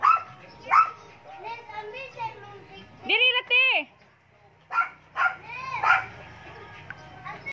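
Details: A pet Maltese dog just hanging around, giving three quick high-pitched yapping barks in a tight burst mid-clip, with a person talking before and after.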